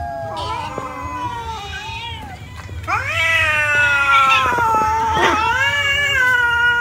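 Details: Several cats eating rice, giving overlapping meows and drawn-out wails, harmonic cries that rise and fall, some long and bending downward, louder and more crowded in the second half over a low steady hum.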